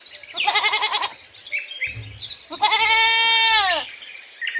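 A goat bleats twice, the first call shaky and vibrating, the second a long nasal cry falling at the end.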